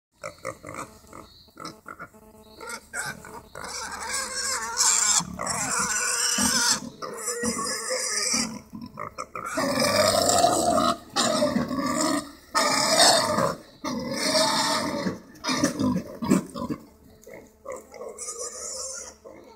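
Wild boar squeal harshly and grunt in noisy, overlapping bursts.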